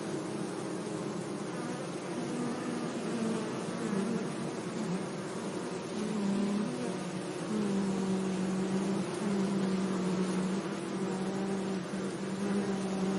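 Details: Bees buzzing among flowers in a sunny meadow: a steady, low droning hum with shifting tonal bands that slide up and down in pitch as insects pass, continuous throughout.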